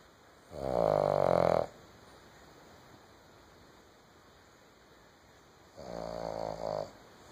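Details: A female Boston Terrier asleep on a couch snores in two long, rattling breaths separated by a quiet pause.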